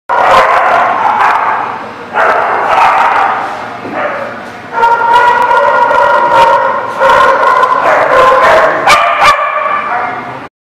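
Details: Dogs recorded on 20 July 2018, giving drawn-out howling, yowling tones in long overlapping stretches of about two seconds, broken by brief pauses, with a few short sharp barks near the end.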